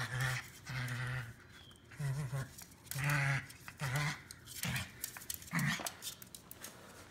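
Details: Chihuahua called Chimi, kept in an office, grumbling in low, throaty bursts that come in short repeated bouts about a second apart, with a couple of sharper, more sudden sounds toward the end; indoor room noise underneath.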